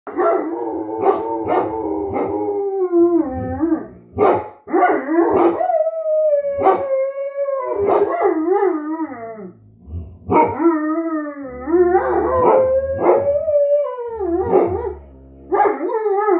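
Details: A Great Dane and a Poodle howl together in long, wavering, sliding tones broken by sharp barks, reacting to something outside, perhaps a bird or squirrel in the yard.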